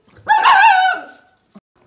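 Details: A female Miniature Schnauzer puppy, between six weeks and six months old, gives a single complaining whine, high and nasal, rising then falling.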